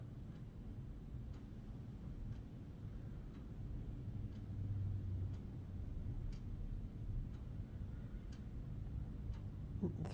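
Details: Only a steady low rumble is heard, with faint regular ticks about once a second, like a clock, and no animal calls.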